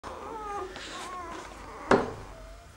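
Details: Hovawart puppies lying huddled together indoors, giving thin, wavering whines that slide up and down, with a brief bump or rustle partway through.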